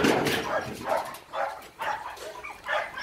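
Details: Phu Quoc Ridgeback, a brindle male about three months old with a sword-shaped ridge whorl, fully vaccinated, at a Saigon kennel; a run of short harsh barks or yelps roughly every half second to second, with muffled background noise.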